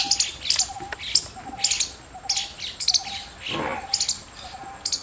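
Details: Squirrel chirping in quick, uneven bursts of sharp, high clicks, alongside a softer repeated lower piping note and a brief rushing noise mid-clip.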